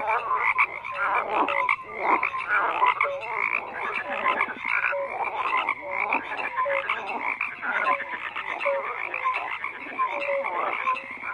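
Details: Many frogs croaking together in a dense, continuous chorus; overlapping rasping croaks layered with short tonal notes, steady throughout with no other sounds standing out.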